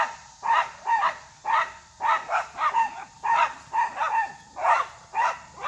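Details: Three dogs, Scotty, Holly and Willie, bark at a deer that stays unfazed. Sharp, mid-pitched barks come in quick, uneven bursts, about eleven across the stretch, sometimes two in rapid succession, with no other clear sounds.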